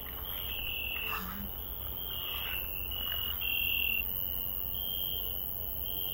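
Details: Night-time garden cricket: a high, shrill trill delivered in roughly one-second bursts with short breaks, steady and repetitive over faint low background noise.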